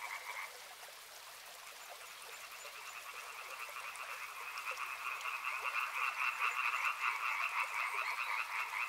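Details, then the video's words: A frog chorus beside a river, starting quieter and swelling after a few seconds into dense, pulsing overlapping croaks, with a soft water hiss underneath. "Frog Sounds | Soothing sounds of river and frogs"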